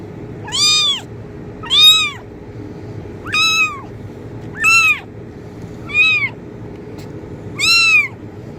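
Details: A kitten meows six times at fairly even intervals of about one and a half seconds, each call a clear arched wail rising and dropping, against a low steady background hum; intended to attract cats.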